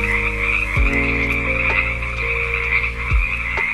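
Bullfrog giving deep, low droning croaks with strong harmonics, over a steady high chorus of insects or frogs.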